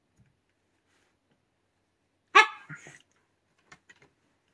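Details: White Shiba Inu indoors, kept from digging into a futon, lets out a single sharp harmonic bark, followed by a softer trailing grunt and a few faint clicks in otherwise near silence.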